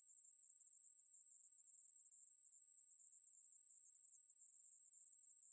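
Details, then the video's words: Continuous high-pitched buzz of a Ruspolia katydid, from 2020 National Institute of Biological Resources material, a thin, even insect drone sustained throughout without breaks. "매부리, 여러번 듣기, 곤충소리"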